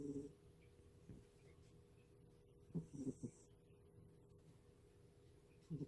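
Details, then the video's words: Pet cat Fin snoring while asleep indoors, recorded without background music; soft, breathy low snorts come in a short cluster midway and again at the end, over a steady low room hum in a quiet space. "猫のいびき The cat is snoring.."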